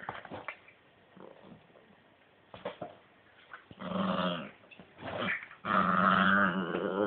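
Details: Italian greyhound at play indoors: soft snuffles and scattered sounds at first, then two strong rough growls, the last one long and sustained to the end.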